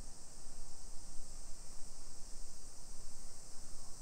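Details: Summer cicadas in a hillside residential neighborhood of Nisshin city, suburban Nagoya, Aichi Prefecture, Japan, at 1 PM on 28 July 2021: a steady high hiss-like drone runs throughout, with scuffing, rumbling street noise and footsteps underneath.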